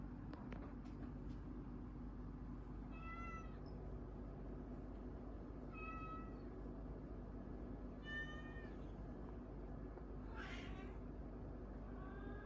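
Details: Orange cats set against each other in a squabble, giving five separate meows spaced about two to three seconds apart. Each is harmonic, level or gently falling, and the last is noisier. A constant low rumble runs underneath.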